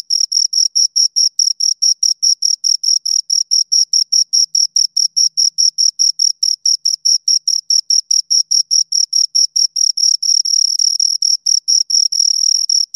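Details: Two crickets chirping: a steady stream of short, high, clean chirps repeated several times a second, with a bright pure tone and a fainter higher overtone; toward the end the chirps blur into a nearly continuous trill. No other sounds.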